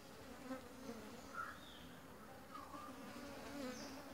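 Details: Honey bees of a new colony that has just raised a new queen, busily collecting pollen and nectar at a home-made feeder; a steady low buzzing hum fills the air throughout, with faint passing tones above.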